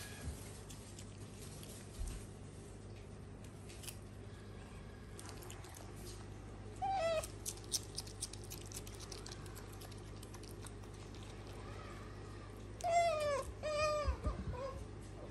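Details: A female pet otter at home, munching lettuce, lets out a few high, bent squeaks in two short bursts, over steady background hum and chewing noises.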